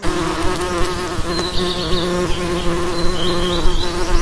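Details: Close bee buzz with a clear humming pitch that wavers slightly up and down as the insect moves, plus faint higher whines.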